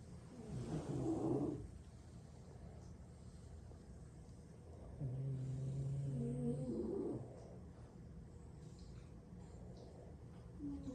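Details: French Bulldog, one of six siblings napping after lots of play, snoring while sprawled asleep indoors: two rough, throaty snores with a low rumbling buzz, the second long and steady, separated by quiet breathing.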